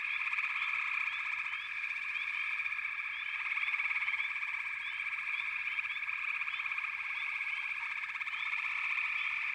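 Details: Many frogs calling together in a continuous high-pitched chorus, its layered buzzing trills steady throughout, with brief upward-sliding chirps popping out of the mass.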